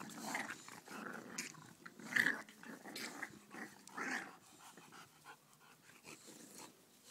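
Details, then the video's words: English Bulldog puppies nursing indoors, with a busy mix of short whimpers, squeaky whines and soft growly grunts rising and falling in quick, uneven bursts. "eng.bulldog puppies"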